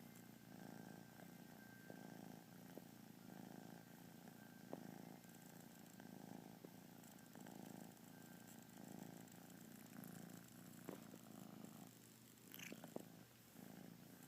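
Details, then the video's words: A pet kitten lounging through a lazy day and yawning, giving a soft rumbling purr that pulses with each breath, interrupted near the end by brief rustling and small clicks. "Little yawning purr machine."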